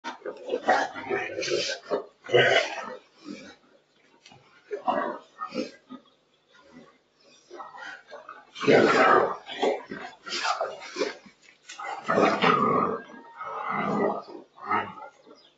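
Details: Boerboel (South African Mastiff) pair Enzo and Diva, living in Egypt, at play: rough, broadband grunting and snorting bursts in irregular clusters, louder runs near the middle and end, with short quiet gaps between.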